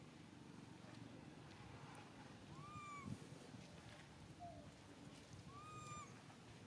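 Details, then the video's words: Baby monkey Santos cries out for his mother Sarah: three clear, high, arched tonal calls, each rising then falling with bright overtones, the middle one short and lower. A steady low rumble of background noise runs underneath throughout. "Pathetic baby monkey Santos cry calling Mom Sarah, where are you ? I'm here."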